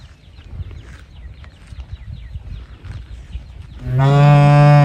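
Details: After several seconds of faint rustling and low background rumble, a calf searching for its mother starts a loud, steady, harmonic bawl that is still going as the recording ends.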